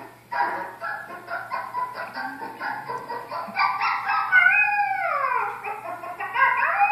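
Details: Pet Estrela Mountain Dog howling indoors in response to a puppy on TV. Choppy television sounds come first, then a loud, wavering howl rises and slides steeply downward at mid-clip, followed by another howl starting near the end.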